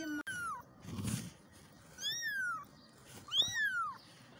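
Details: Baby kittens crying for their mother. Three high, drawn-out meows, each starting high and sliding downward, are spaced about a second apart over light background noise with a brief thump.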